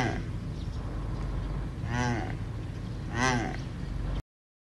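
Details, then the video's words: Addax, an endangered desert antelope of the Sahara with spiral horns, gives two short, nasal, strongly harmonic calls about a second apart over a steady low rumble. "مها ابو عدس - Have you seen the mention of Maha Abu Adass and heard his voices?"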